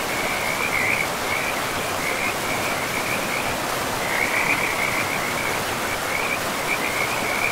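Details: Frogs along a river deep in a pristine forest give a chain of short, chirping rattles, fairly evenly spaced and busier in the second half, against continuous rushing-water noise.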